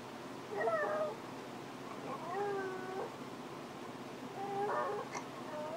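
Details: Rosie, a female dog who misses her owner when he goes into the office, gives three drawn-out, wavering howl-like whines, each bending up and down in pitch, separated by short pauses in a quiet room.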